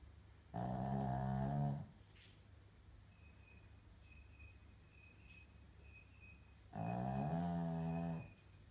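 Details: Maltese/Shih Tzu dog with a snoring problem: two heavy, rasping, low snores about six seconds apart, each over a second long, with faint high beeps between them.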